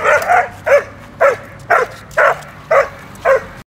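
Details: Belgian Shepherd Malinois on guard during attention and attack training, barking in a steady series of seven sharp, loud barks roughly every half second, with quiet background between barks.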